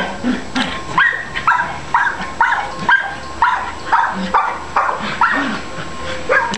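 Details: Long Coat Chihuahua available for adoption, barking repeatedly, about fourteen shrill yaps spaced a little under half a second apart, some ending in a slight upward squeak.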